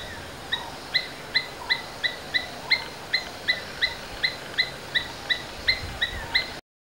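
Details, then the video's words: Domestic Asian palm squirrel calls: a series of short, shrill chirps spaced roughly every third of a second, evenly repeated for about six seconds, with soft ambient hiss behind and no other clear sounds. "Domestic Squirrels Sounds various versions | Asian Palm Squirrels"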